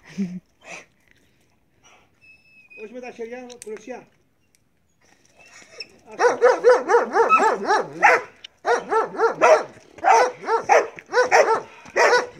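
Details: Marley the Belgian Malinois in bite work training: a quiet opening with a man speaking Greek and a few soft sounds, then from the midpoint steady, forceful barking roughly twice a second until the end.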